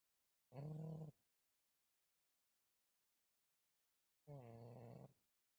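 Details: Domestic cat named Malysh snoring in its sleep, recorded 4 December 2024 in a Russian village: two low, raspy, harmonic snores about half a second long, separated by roughly three seconds of silence.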